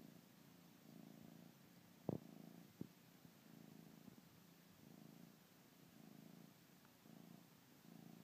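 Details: A young Bengal cat purrs softly in regular rising-and-falling pulses while suckling on a blanket, with two brief clicks and a faint background hiss.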